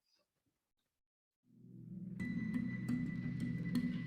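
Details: Near silence at first, then steady low musical tones with soft percussive taps and a thin high ringing note.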